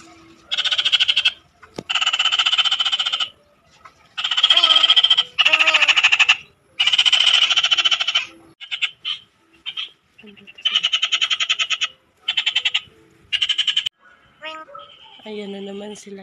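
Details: Frogs found in the Philippine countryside, calling in loud bursts of rapid pulsed rattling croaks lasting one to two seconds, each burst buzzy and repeated with short gaps, several callers overlapping, a man's voice briefly at the end.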